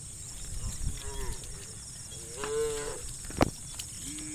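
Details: One short, rounded moo from a tame cow in a herd of dozens moving over muddy rice fields to fresh grass, among sharp clicks, low rumbling and a steady high-pitched hum.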